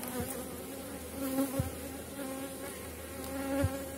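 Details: Honey bees from a strong colony at a Polish apiary as the season ends, during hive work: continuous droning buzz with steady pitch, a few sharp knocks from handled equipment, and bees flying by close.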